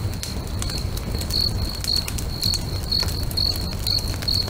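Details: Crickets singing by a lake at sunset beside a crackling bonfire: a high, thin chirp repeats about twice a second over steady pops and snaps of fire and a low rumbling background.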